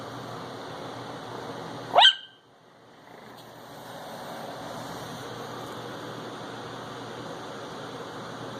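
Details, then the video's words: A 10-week-old Chihuahua puppy yaps once, short and shrill, at a dancing Christmas dog toy, then falls quiet against a low indoor background hum. "Chihuahua Barking"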